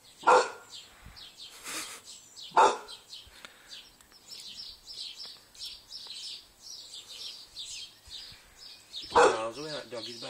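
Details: A male English Bull Terrier gives single deep, loud barks spaced several seconds apart, barking at the person filming.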